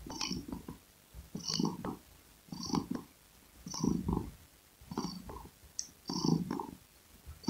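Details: A domestic cat purrs contentedly, deep vibrating rumbles pulsing in and out about every second and a quarter, regular breath-driven rhythm with soft crackles over a quiet indoor background.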